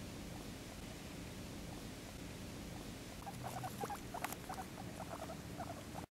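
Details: Female pet guinea pig Penélope, playing with pit bull Sharky, quiet at first, then a burst of short high squeaks and chirps in the second half, uneven and bunched, against steady low room rumble and light rustling.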